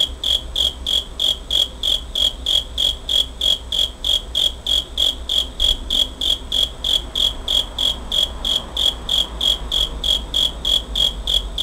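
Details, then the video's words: Cricket chirping in late August 2011, captured on a Pentax Optio camera: bright, shrill pulses repeating roughly three per second, evenly spaced and sustained throughout, over a soft low background rumble. "귀뚜라미 소리 cricket sound"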